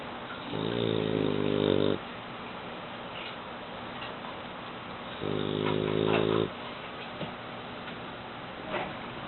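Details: Eight-month-old male French Bulldog snoring in sleep: two long harmonic rasping snores of about 1.5 and 1.2 seconds, separated by a quiet pause, over a faint background hiss.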